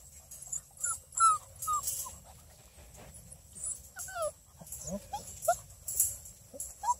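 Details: Six-week-old female Redbone Coonhound puppies, a litter of busy sisters at a breeder near Kingston, Ontario, Canada: brief high whimpers and squeaky yelps, several short rising and falling whines from more than one pup, with a steady high electrical hum.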